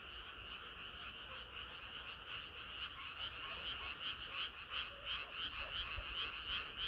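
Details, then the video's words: Many frogs singing together on a hot summer night, rapid pulsed croaking about three per second that grows louder and more regular in the second half, with faint low background hum. "개구리들의 합창은 끝이 없어라"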